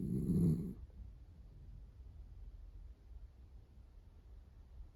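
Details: A female Miniature Dachshund snores while asleep on her owner's arm: a soft, low rumbling breath sound runs throughout, after a short louder burst at the start.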